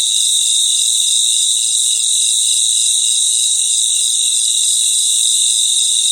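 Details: Night-time cricket chorus outdoors: a steady wall of thin, piercing trills in two high layers, rapid faint pulses blending together, loudness unchanging, nothing else audible.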